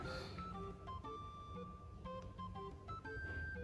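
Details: Soft organ and plucked-guitar music with sustained tones and a faint voice, and no animal sound.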